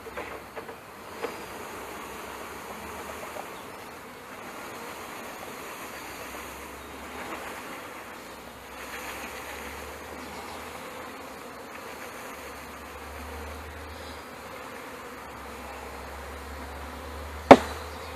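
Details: Package honey bees installed into a hive in May 2013, the queen held behind a candy plug the workers eat through. A steady, low droning hum of many bees runs throughout, with a sharp knock near the end.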